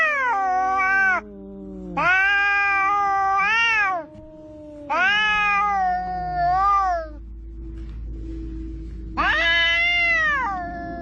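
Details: Two cats, one of them orange, argue at the seaside with repeated loud yowls rising and falling, each lasting one to two seconds, over a sustained low growling tone and faint rumbling background.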